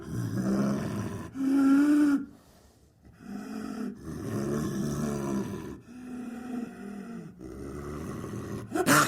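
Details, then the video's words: Snow leopard, a large cat native to the mountains of Central and South Asia, giving a series of drawn-out, harmonic growling moans separated by short pauses, with a sharper burst at the end. "Sound Effects - Snow Leopard"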